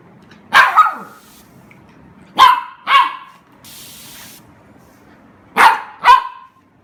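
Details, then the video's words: Young Golden Retriever at play with a spray of water gives paired yappy barks in three bursts, each pair half a second apart, with a brief hiss of spraying water between them. "Golden retriever puppy loves to play with the spray"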